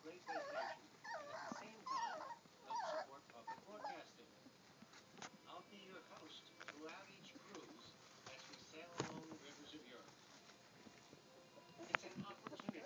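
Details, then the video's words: German Shorthaired Pointer puppies, three weeks old, at play: squeaky whines and yelps bunched in the first few seconds, then quieter scuffling and rustling with scattered faint squeaks and a sharp knock. "GSP Puppies Playing 3 weeks old"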